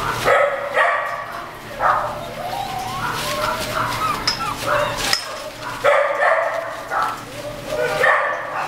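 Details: Beagle and Mountain Cur mix puppies whining and yipping together, with rising and falling squeaky whimpers in the middle and bursts of higher yelps at the start and end.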